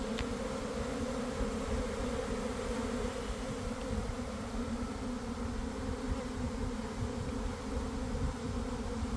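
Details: A big honey bee swarm pouring out of a hive in a garden around 1 pm, following a week of cold and damp: an even, droning buzz that holds steady from start to finish, with one sharp tick at the start.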